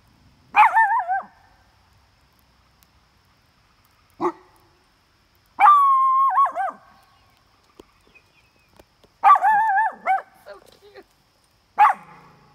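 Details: Two dogs at a campsite barking at coyotes they smell close by; drawn-out wavering howl-like barks alternate with short sharp yelps, separated by quiet gaps of a few seconds.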